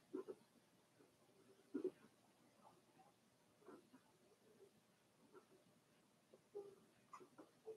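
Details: Four-week-old Cavalier King Charles Spaniel puppies from one litter, in an indoor puppy pen, make short low grunts and squeaks scattered through the recording, with quiet gaps between them.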